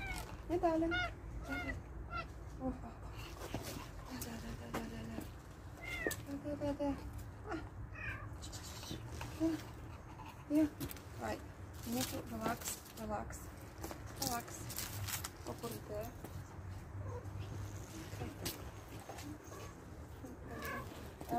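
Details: Stray cats being fed, with scattered short meows and mews through the stretch, mixed with a woman's coaxing speech, clatter and steady low background hum.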